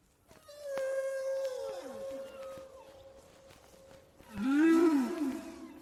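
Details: Humpback whales feeding on krill with bubble nets: a sustained tone with a falling glide, then a loud rising-and-falling moan, linked to the whale spinning its net, rising bubbles and spouting at the surface.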